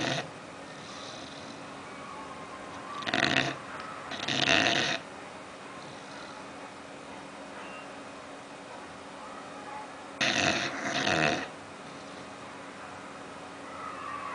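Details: Sleeping bulldog Oliver, dreaming, makes paired short harsh snorting snores, one pair around three to five seconds and another near ten to eleven seconds, quiet breathing between.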